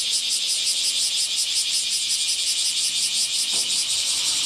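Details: On 23 July 2018, in midsummer heat, a nearby dense chorus of bear cicadas (Cryptotympana facialis) sings from the morning, a loud, harsh, pulsing buzz that never lets up.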